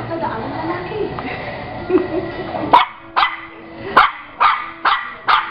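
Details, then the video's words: Pet Shih Tzu vocalizing as though telling a story: after a noisy stretch with faint voices, five crisp barks come roughly every half second. "MY SHIH TZU TELLING STORY"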